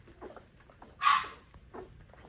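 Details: Rottweiler puppy, eleven days old, refusing more food after feeding; one sharp, bright yelp stands out midway, framed by soft little squeaks and faint room noise.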